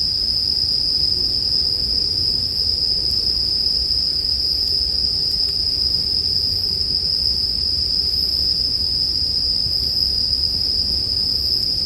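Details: Bell crickets in a sleep ambience track: a steady, high, ringing trill holds without pause, with a softer pulsing shimmer above it. A low crackling bonfire hums underneath throughout.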